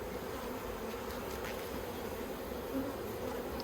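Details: Honey bees of a yellow hive in an Australian backyard apiary, 9 October 2021, while plastic frames are handled: a dense steady hum of many bees with strong bands around the low-mid range, a few louder passing buzzes near the microphone.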